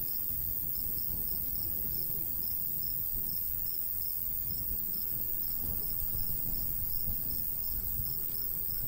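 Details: Cricket chirping in summer countryside by a golden wheat field, a light breeze blowing; short high chirps repeat steadily about three per second over a constant low rumble of wind.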